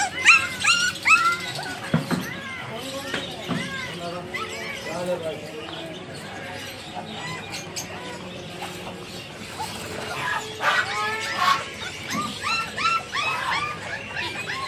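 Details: Several Persian kittens for sale at a pet market in Multan meow over one another, thin rising-and-falling mews repeated in a busy chorus.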